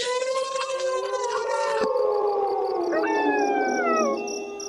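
Several wolves howl together, with long, smooth, wavering tones that overlap and slide slowly downward.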